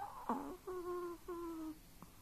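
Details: A Chihuahua-pug mix dog dreaming in its sleep gives a few drawn-out, whistled whines. Each is a steady, slightly falling tone lasting about half a second, followed by a short soft squeak, in a quiet room.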